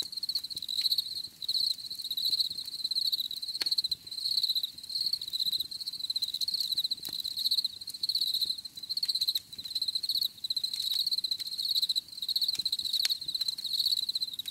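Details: Crickets calling in a natural setting, a loud, high, rapidly pulsed trill in long runs broken by brief pauses, overtones shimmering above, light clicks now and then.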